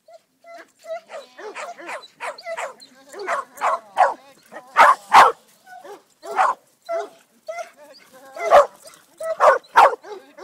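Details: Greater Swiss Mountain Dog Sadie, aged 10½, on her first herding outing, barks in irregular bursts: thin whiny yelps mixed with louder, harsh barks, some in pairs, with quiet gaps between.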